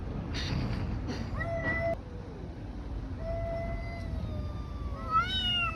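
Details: Fighting street cats give short level yowls separated by quieter gaps, ending with a rising, louder wail; steady low background noise throughout.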